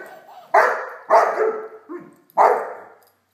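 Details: Great Dane puppy Blacky at play with a toy dog: four loud, sharp barks spaced unevenly over three seconds, with a softer low yelp between the third and fourth.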